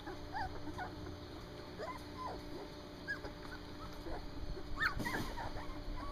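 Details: Standard poodle puppies aged three weeks, first time outside, letting out brief rising squeaks and whimpers at irregular intervals, with a louder cluster near the end and a woman talking nearby.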